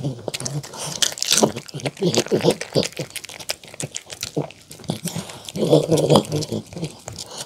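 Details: Poodle named Mong at an indoor mukbang, eating homemade chicken tenders with apple, carrot and cabbage salad under a pumpkin, egg and olive oil dressing. Rapid irregular crunches and smacking bites come about twice per second, louder in bursts.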